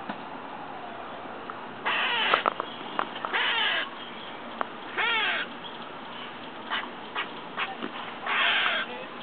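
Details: Squirrel next door, outside a window, eating and calling oddly: four loud, hoarse, buzzy bursts with wavering pitch, separated by quieter clicks and ticks.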